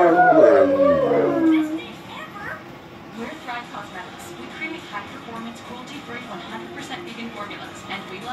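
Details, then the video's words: Two female Cane Corsos, plus a dog that joins for the first time, howl in response to a siren: a loud, drawn-out howl sliding downward, followed by quieter background voices. "Funny Dogs howling- Cane Corso Sings Bass"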